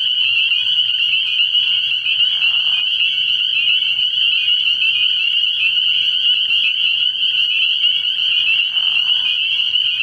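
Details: Early-year night at a frog pond, countless spring peepers piping together in a continuous high ringing chorus; two short lower rasping trills break in around the second and ninth seconds, with a quiet low hum underneath.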